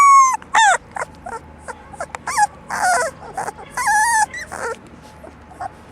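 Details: Four-week-old English Labrador Retriever puppies of a black and yellow litter: a run of high, wavering whines and short yelps, some falling in pitch, repeated irregularly about twice a second, with quiet moments between.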